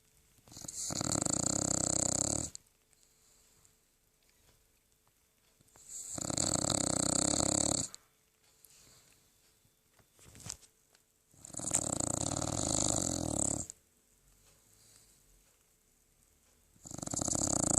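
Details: A 13-year-old poodle snoring while asleep indoors: long breathy rasping snores about two seconds each, broad and noisy, separated by quiet gaps of roughly three to four seconds, repeating steadily.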